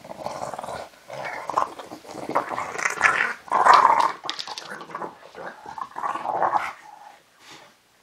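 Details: An adult female English Bulldog gives rough, throaty growls and grumbles in rising and falling bursts while playfully roughhousing her puppy on a play mat.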